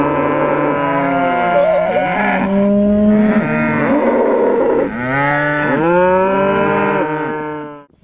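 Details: {'__c': 'Several cows stampeding out of the barn, mooing almost without pause: overlapping deep, drawn-out moos, some sliding down in pitch, forming a near-continuous chorus.'}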